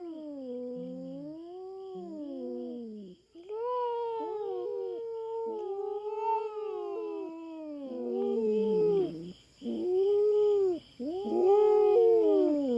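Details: Territorial standoff on a Philippine farm as a feral cat, not a village cat, confronts a black cat: long continuous wavering caterwaul, rising and falling, broken by brief gaps near the end, over a steady insect chorus.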